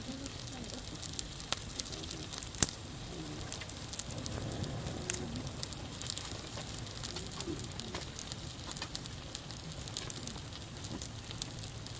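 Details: A campfire crackles and pops steadily beneath faint, distant voices, with no animal sound heard.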